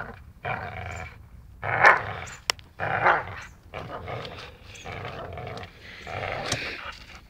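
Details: Playful dachshund biting while it growls: a handful of gruff, throaty snarls of uneven length, the loudest near the start, followed by softer, rasping grumbles.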